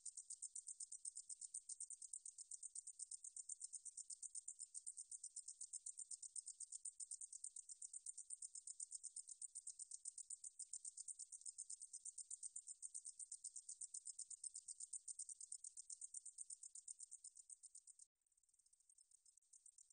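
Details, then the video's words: Meadow katydid singing, from a National Institute of Biological Resources recording made in 2020: a high, dry, pulsing buzz repeated several times a second, dropping abruptly quieter near the end as the recording cuts. "등줄어리쌕쌔기, 여러번 듣기, 곤충소리"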